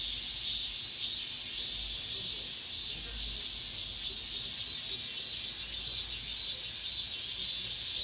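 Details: Final cicada song of the summer heard around apartment buildings: an unbroken high, hissing drone made of many insects, pulsing rhythmically just under twice a second, with faint low thumps in the background.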